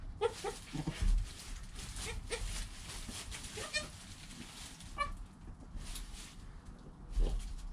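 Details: Newborn goat kid named Joel, within an hour of his birth, beside his calm mother Penny, recorded on a GoPro; several short, faint, harmonic bleats spaced through the stretch over rustling and handling noise.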